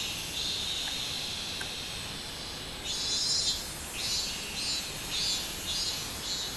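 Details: 24 July 2016 summer recording of a minmin cicada: after a quieter steady hiss, a loud pulsed buzzing song kicks in and repeats in rhythmic surges to the end.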